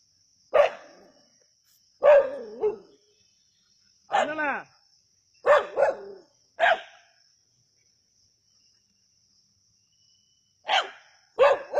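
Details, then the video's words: Native dogs at Keezhadi barking while hunting a snake: seven loud, sharp single barks with ringing harmonics, spaced one to two seconds apart, a long pause, then two more quick barks, over a steady high hiss. "கீழடியில் நாட்டுநாய்களின் பாம்பு வேட்டை"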